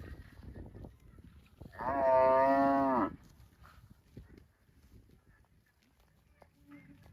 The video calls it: COWS MOOING - Funny Cow Sounds Videos